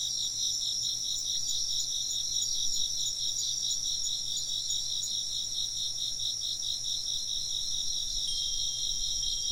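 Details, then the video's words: Dense insect chirping, high and rapidly pulsed, runs throughout; near the end a clear sustained ringing tone, like a wind chime, sounds over the chorus, alongside a faint low thump. "風鈴の音と虫の声 - wind chimes and chirping insects"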